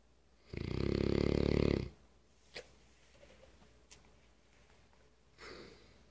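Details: Remington, a very loud English Mastiff, snores while awake indoors: one long, deep, rattling snore of over a second, then quiet room with faint clicks and a softer breath near the end.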